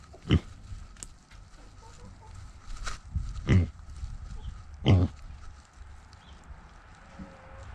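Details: Bacon May, a two-year-old Pixie Pig carrying a GoPro, gives short, low, rough grunts at uneven intervals. The three strongest are spread over about five seconds, with softer ones between, over steady rustling and handling noise.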